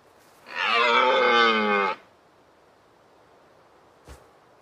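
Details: Deer giving one drawn-out, harmonic-rich bellow lasting about one and a half seconds at a fairly steady low pitch, then quiet apart from a brief soft knock near the end.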